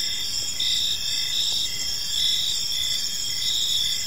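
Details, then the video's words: In a quiet park at evening, crickets keep up a bright, high, constant trill with pulsing chirps every second or so, joined by faint soft ticks and a low ambient murmur. "Park Serenade: Cricket Sounds in a Peaceful Park"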